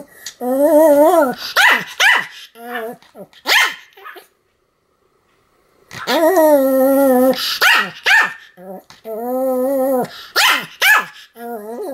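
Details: Continuous barking from Sam the Pomeranian, 7 October 2015: strings of high yappy barks and stretched whining cries, two dense bursts separated by a silent gap of about a second and a half.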